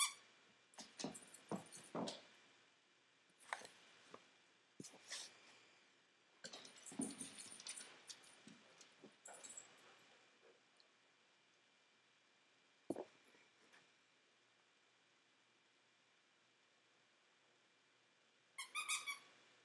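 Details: Juno, an almost 12-year-old dog, in a short puppy-like burst of play inside a small room; a run of rapid snorts, grunts and whiny yelps over ten seconds, then a pause and a few scattered sharp sounds.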